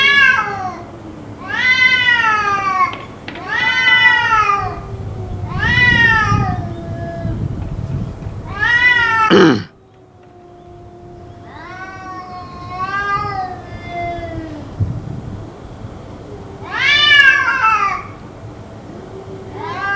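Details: Cats yowling on and on, kept up for about two hours, possibly fighting: repeated long, wavering, nasal moans rising and falling, one every one to two seconds, with a sharp sound near the middle and a murmur of low background noise.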